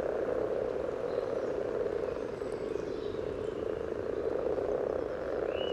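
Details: Spawning common frogs at a pond beside the yellow trail in Sunnersta, Uppsala, Sweden, recorded with a parabolic microphone: dense, unbroken low purring and croaking chorus, with a faint high bird-like whistle near the end.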